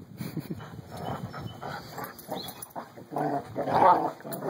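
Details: Two puppies playing together indoors, rough bursts of low growling and scuffling noise, uneven and rising toward the end, with a person talking nearby.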